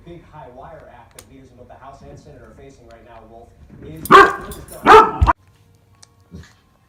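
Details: Dog kept with a baby, giving two loud, sharp barks close together near the end, after a stretch of soft human voices and babbling; brief quiet sounds follow.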